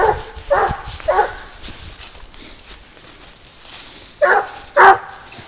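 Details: Twenty-two-month-old Garuo, tracking wild boar on a leash, barks three times in quick succession, pauses for a few seconds, then lets out two louder, sharper barks.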